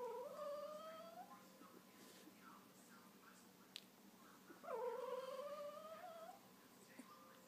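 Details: Young wolf hybrid puppies aged two weeks, just opened their eyes, give two quieter rising whines about four seconds apart. Each climbs gradually over a second or more, over a low background hiss with a faint click between.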